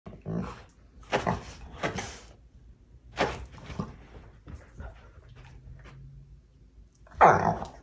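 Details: Labrador lying on a sofa, complaining to a German Shorthaired Pointer to fetch the ball so they can play tug; short broad groaning whines and grumbles in bursts, with a louder whine near the end.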